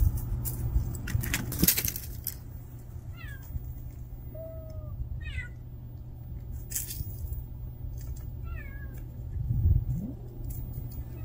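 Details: Street kitten that cannot live without its mother cat, giving several short high mews in quick bursts, a few falling and one drawn-out steady mew, over a constant low hum and rustling handling noise.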